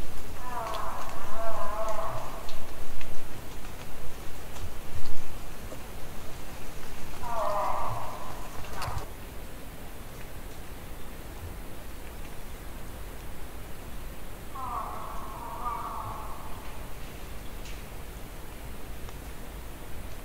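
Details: A distant moose gives three drawn-out, nasal moaning calls, each about two seconds long, recorded during the hunting season at roughly 200 to 800 feet or more, with no wind.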